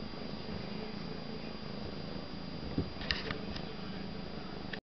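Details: Male kitten at play around a box indoors, purring in an even low rumble, with a couple of brief clicks and taps midway before the sound cuts off.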